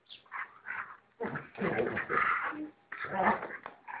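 A Rottweiler gives rough, throaty barks and whining grumbles in uneven bursts.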